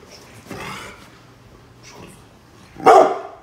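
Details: Brindle Pit Bull Bullet defending the home from construction crew outside: a murmuring growl and faint sounds, ending in one strong bark.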